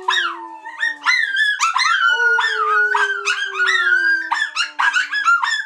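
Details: Trio of dogs singing in a howling chorus: a low sliding howl runs underneath while higher voices weave rising and falling wails and short yipping bursts, all loud and close.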